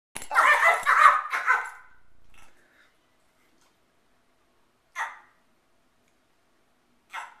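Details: Shih Tzu yelling at a Doberman to show who is boss: a loud, rough, wavering outburst lasting about two seconds, then silence broken by two short sharp yips several seconds apart.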